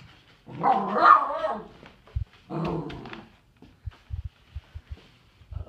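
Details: Dog named Doug, upset as his toys are cleaned up indoors, lets out two long harsh growling barks about a second each, followed by scattered low thumps and knocks in a small room.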